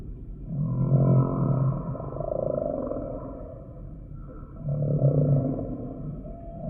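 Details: Humpback whale song: two strong, deep rumbling moans with buzzy harmonic overtones, separated by a softer wavering middle tone, the pattern swelling and fading roughly every four seconds.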